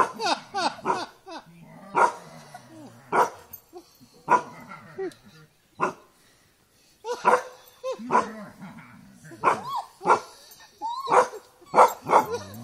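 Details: Barking from a dog in a fight with a buffalo comes in quick bursts of several sharp barks, then a brief pause, mixed with some growly tones and human speech.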